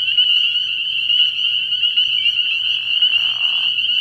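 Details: Early-year frog pond at night packed with spring peepers, their piercing high peeps blending into an unbroken shrill chorus; a brief lower buzzy trill joins midway.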